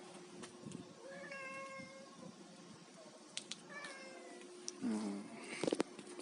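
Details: While eating fish, a domestic cat lets out soft, drawn-out meows, two level cries a couple of seconds apart, then a sharper, lower mew with clattering nearby.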